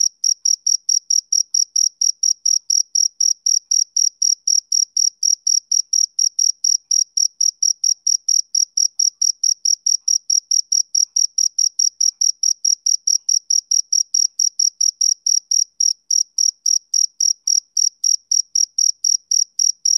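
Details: Rapid, regular chirps from a male cricket on a summer evening, shrill high notes repeated about four times a second for the whole stretch, clean and without background noise.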